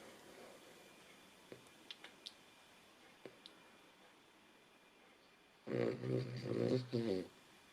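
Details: Nela, a female Cavalier King Charles Spaniel, snoring: after quiet with a few faint clicks, a loud, throaty, harmonic rasp comes in about four rapid pulsing bursts over the last two seconds.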